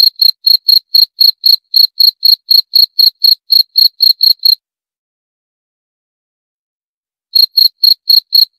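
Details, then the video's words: Rapid high, shrill cricket pulses repeat about four times a second for four and a half seconds, then stop for nearly three seconds of silence before the chirping resumes. "29 Menit Suara Jangkrik - 29 Minutes Cricket Sound Effect"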